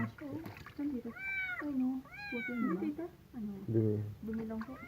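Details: Cat in its first bath letting out two strained, arching meows close together while people talk throughout over a low room hum.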